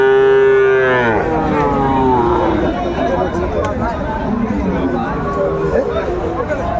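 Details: A young Sahiwal bull at a livestock market on 16 April 2024 gives one loud, steady, low moo lasting about a second that falls in pitch at its end, followed by traders bargaining and crowd chatter.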